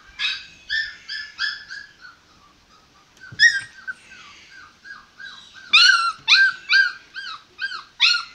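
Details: Male American Pit Bull Terrier puppy from Kerala, India, voicing loud, high yips and whines in uneven bursts, some ringing and downward-curving, with a quieter stretch midway before louder cries resume.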